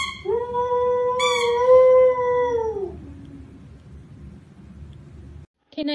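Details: One long, steady dog howl lasting nearly three seconds, rising at the onset and fading away, followed by near silence and a brief new sound at the very end.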